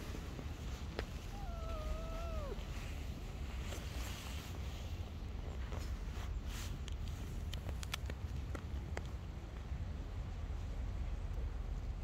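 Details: One of two kittens playing and climbing onto a lap among street cats gives a single short meow, wavering then dropping in pitch, against steady low rumbling background noise and a few clicks and taps.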